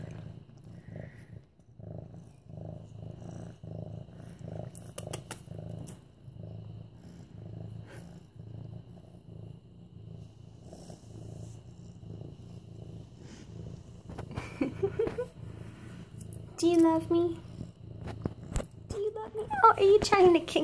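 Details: Mufasa, a medium-hair orange tabby tomcat nearly 8 months old, purrs continuously while petted, September 28, 2015; a deep, evenly pulsing drone dominates for about fifteen seconds before a woman's soft baby-talk voice joins.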